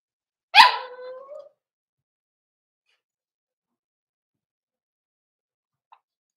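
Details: Cavalier King Charles Spaniel puppies in a puppy pen, meeting several of the household's bigger dogs during socialization: a single sharp yelping bark dropping into a short, wavering whine, followed by a long stretch of silence.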